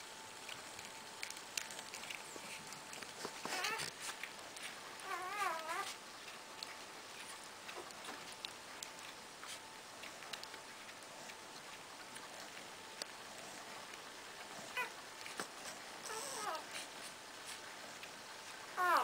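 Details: Two-day-old Cardigan Welsh Corgi puppies of a litter born March 2012 at a kennel in Sweden. A quavering, wavering high whine rises and falls mid-clip, with a later brief squeak among soft rustling and clicks in a small room.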